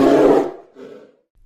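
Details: Polar bear giving a loud, harsh, breathy roar for under half a second, followed by a softer, lower growl that fades out within a second.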